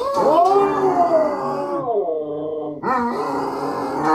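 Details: Husky, Basset Hound and a small dog howling together indoors while their dinner is prepared; overlapping drawn-out wavering howls, gliding up and down, with a brief dip before another howl begins.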